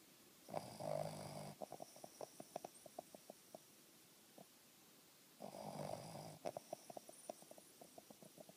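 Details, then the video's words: A Boston terrier named Banner snores: a long rasping, nasal inhale followed by a run of soft puffing snorts. "Banner (Boston terrier) snoring!!"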